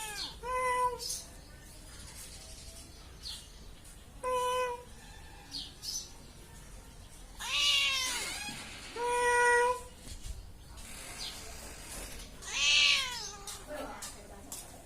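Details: Cat meowing repeatedly, short bent tones every couple of seconds, some rising and falling more sharply, over low background hiss and occasional faint scraping.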